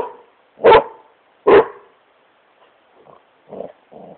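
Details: Two loud barks close together from Smokey, a Great Pyrenees having fun on his couch indoors, followed by a few faint soft grunts and snuffles.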